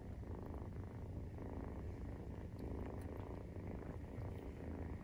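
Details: Purring at nursing time from a Maine Coon, kitten aged 43 days. A dense, continuous low-pitched vibration rises and falls gently with each breath, recorded up close with light ticking sounds over it.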